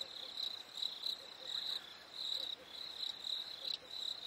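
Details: Crickets chirping on a warm summer evening: short, high, pulsed chirps repeat about one and a half times each second over quiet background hiss.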